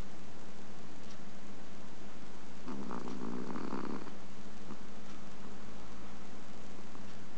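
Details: Small, quiet snore from a napping Chihuahua, recorded August 2010: a single breathy, rasping burst of a little over a second, set against a constant low hum and otherwise quiet room.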